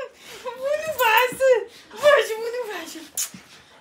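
A Siberian Husky gives an excited welcome howl as its owner comes home. Two warbling, voice-like phrases rise and wobble before sliding downward, with a short sharp sound at the end.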